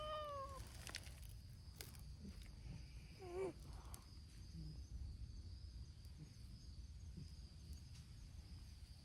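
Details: Community cats of the brown-tabby-and-white Hime team, many abandoned and fed by volunteers, at a noisy outdoor cat gathering. A falling, harmonic meow opens, then a wavering, quivering meow follows midway over steady low rumbling background noise and faint clicks.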